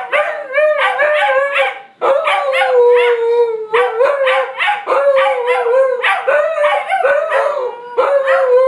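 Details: Pair of huskies singing in a shared howl: many short overlapping yodelling howls, each starting with a sharp break and then holding a steady tone, tumbling on continuously for nearly nine seconds.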